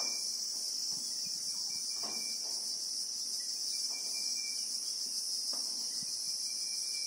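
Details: Real-time bushveld recording from South Africa: Christmas beetles (Anoplognathus) produce a loud, constant high-pitched buzzing chorus lasting the full seven seconds, over faint intermittent whistled tones and occasional soft low thumps.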